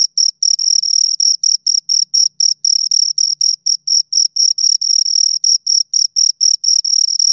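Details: Close, loud chirping of two crickets, a piercing high tone pulsed rapidly with uneven gaps and a few longer bursts, accompanied by a faint overtone; a very soft low rumble briefly underneath.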